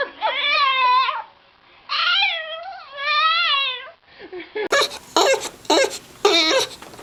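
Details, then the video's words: Dog or puppy making three wavering, mournful whining cries, each about a second long with pauses between, followed by several sharp, noisy bursts near the end. "Sweet Cute Lovely Dogs and Puppies funny sounds"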